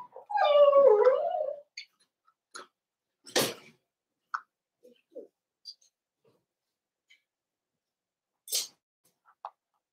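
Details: Puppies of the Cavalier King Charles Spaniel breed, in a home puppy pen as older dogs are brought by, 12/13/22. One wobbling, falling whine opens, then only sharp knocks, clicks and brief faint yips follow.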